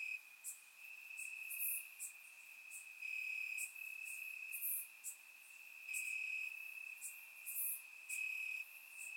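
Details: Warm summer night in Bulgaria with crickets chirping in grass, recorded through a surround microphone; a continuous shrill trill that swells and fades, punctuated by short bright buzzy bursts higher up.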